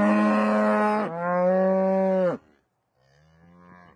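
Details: Cow lowing on farmland, one of the animal sounds heard most in the countryside: a long, deep, rich moo that dips in pitch midway and carries on, then a pause and a fainter, lower second call.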